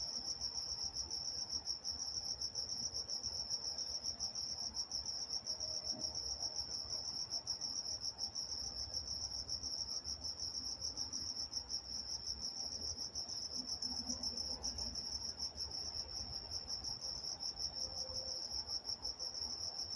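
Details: Crickets singing at night in Walnut, California, a continuous shrill pulsed trill holding one high pitch throughout, soft background hum below and a few faint distant sounds.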